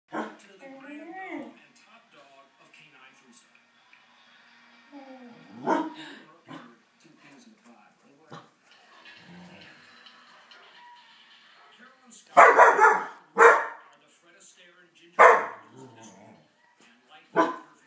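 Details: A pet dog barks at the television while a show about dogs plays. Television speech and sounds come first, then four loud, sharp barks arrive in the second half, spaced one to two seconds apart.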